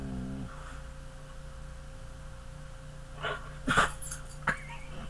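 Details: Dog making a few short, sharp, noisy bursts close together near the end after a quiet stretch, over a steady low electrical hum.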